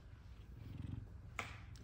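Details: Zara or Kumba, an F2 Savannah cat, purrs in a low, even rumble while greeting the owner just home from work. A brief sharp click sounds near the end.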